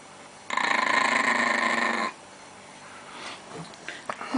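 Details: Angry Chihuahua guarding its pancakes gives a loud, harmonic, buzzing growl lasting about a second and a half, pulsing rapidly, then breaks off into quieter rustles and small knocks.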